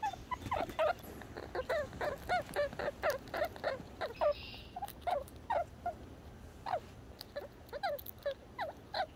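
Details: Red squirrel called Little Red calling in a long run of rapid, clipped squeaky chirps, fairly regular, around two per second, against a quiet background.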